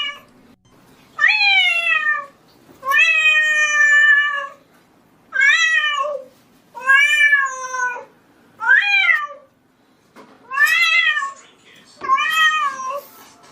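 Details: Domestic cat meowing: seven loud, drawn-out, wavering meows, each about one second long, repeated every one to two seconds, in a quiet setting with no other clear sounds.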